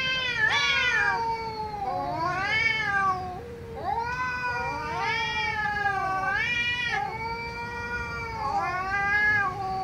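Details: Angry cats meowing loudly: a run of long, harmonically rich wailing meows that rise and fall, several overlapping, one after another with hardly a pause.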